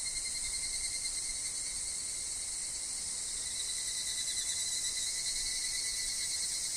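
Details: Evening cicadas, called higurashi, calling in a forest with wind and falling leaves. A continuous shrill insect drone rings on unbroken, with a lower steady whine underneath throughout.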